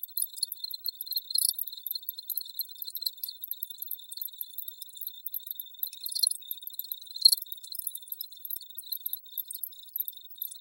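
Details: Crickets in a constant high, tinkling chorus of fast pulses, with bright louder bursts every second or two and nothing audible in the low range.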